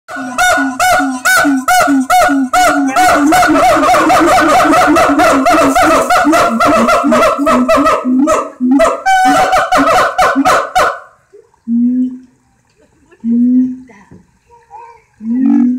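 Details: Siamangs at Alexandria zoo calling loudly with rapid, rhythmic, honking barks that build into an intense, overlapping chorus.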